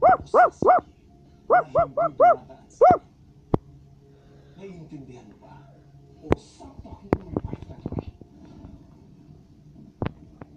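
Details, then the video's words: A Basset Hound barks in two quick groups of three and four, plus a single bark. Afterwards the dog falls silent, leaving soft rustling, clicks and low background noise. "Basset Hound is Barking"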